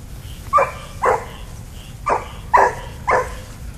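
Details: Daisy, a pet dog at a park, excited at discovering other dogs on the little dog side along the fence, gives five sharp barks in about three seconds, unevenly spaced, with soft background hum and a person greeting nearby.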